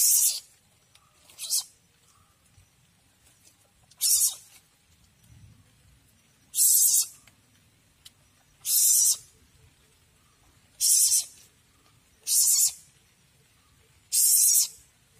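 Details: A young Asian palm civet found in a house hisses repeatedly, giving about eight sharp, noisy half-second bursts at uneven intervals of one to two seconds over a quiet background.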